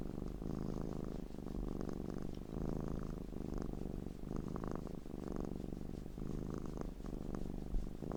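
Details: Looped sounds of a pet cat purring close up. Deep, buzzing purr pulses in regular breath cycles about every 0.7 to 1 second, alternating louder and softer phases. No other voices or background noise.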